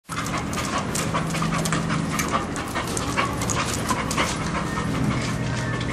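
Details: A pet Bull Terrier looking for a place to rest pants steadily, a continuous rapid breathy rasp with broadband noisy texture and no pauses, under a constant low hum.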